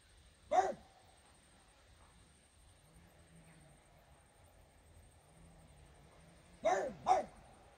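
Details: French Bulldog named Regis barking at fairies indoors: one sharp bark, a long quiet pause, then two quick barks close together near the end.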